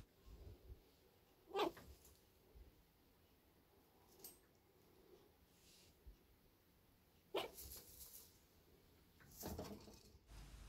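A chinchilla barks in brief, sharp, squeaky bursts, spaced a few seconds apart in a quiet room. The bark signals that the animal is angry or feels threatened.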